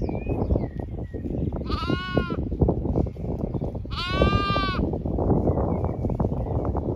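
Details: Zwartbles sheep, main flock with lambs, grazing a windcharger field on a cool late afternoon in County Kilkenny, Ireland; two wavering bleats two seconds apart over continuous munching and shuffling, a few distant bird notes.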